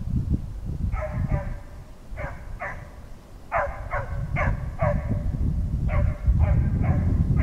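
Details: Petit Basset Griffon Vendéen Ares in full cry on a hare trail, warm weather in Norway: bright, harmonic barks in groups of two or three, repeated over several seconds, against heavy low wind rumble.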